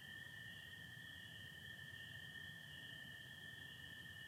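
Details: Massed spring peepers on a Michigan spring night, 24 April 2025, joined by American toads beneath starry, partly overcast skies; continuous high-pitched peeping blends into an even wall of sound over a droning lower trill.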